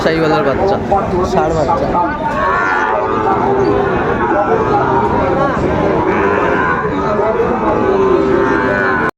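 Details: Sahiwal breed bull calves for sale at Raniganj cattle market, Dinajpur, 2 May 2024. Low, sustained lowing rises out of a dense background of talking buyers and sellers, with a longer moo late in the clip.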